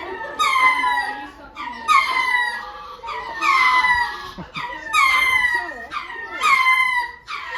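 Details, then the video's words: Several lemurs give a series of wailing, strongly harmonic cries that fall in pitch, about one every one and a half seconds, with short softer sounds between them. "Lemurs making a noise"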